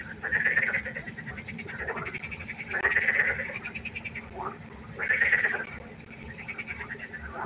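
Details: Croaking frogs by a pond at night, with loud rattling pulsed calls swelling roughly every two to three seconds over a steady murmur of more distant frogs.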